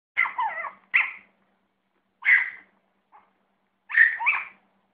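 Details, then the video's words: , barking at food: four sharp, high, yappy bark bursts, some doubled, spaced about a second apart, with a faint short yip between, over a quiet background. "chihuahua barking at food"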